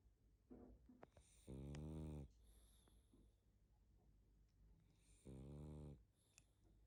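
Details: Barney, a sleepy pug dog, snoring and snuffling while asleep indoors: two deep, buzzy, rasping snores roughly four seconds apart, with softer sniffling breaths and faint snuffles between them in a quiet room.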